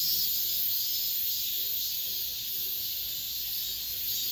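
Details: A late-summer cicada chorus inside an apartment complex, heard as a continuous shrill hissing buzz. Its loudness wavers only a little, with no other clear sounds.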